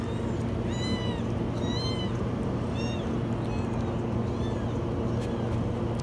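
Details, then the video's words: Trapped inside a washing machine, a kitten cries with four short, very high meows in quick succession, each slightly arched in pitch, against a constant low droning hum and faint clicks. "Kitten stuck in the washing machine meow very high"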